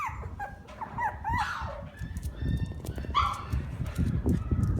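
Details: Shiba Inu siblings whining: high, wavering whimpers that rise and fall in pitch come in short bursts. Some are sliding and some sound yelpy, over a low rumbling and shuffling background.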